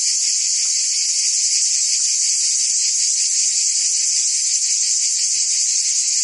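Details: Cicadas singing through a French summer in Provence; a steady wall of sharp, high electric-sounding buzz with faint rhythmic flutter and no pauses.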